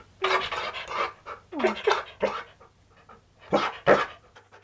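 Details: Husky Key, the stunt dog, at home with a best friend over for waffles: breathy, harmonic grumbling bursts in short clusters, one moan sliding downward midway, mixed with panting between pauses.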